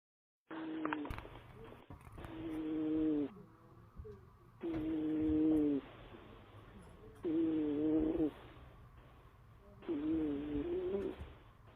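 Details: Big domestic cat snoring: four roughly one-second nasal, whistly tonal snores spaced about every two and a half seconds, each with a steady buzzy hum, quieter breathing between.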